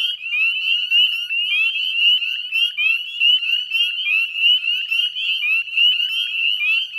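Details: Spring dusk by the Chezzetcook salt marsh in Nova Scotia, 18 May 2020: a thick chorus of northern spring peepers gives sharp, rising single-note peeps in overlapping waves, with softer lower trills mixed in.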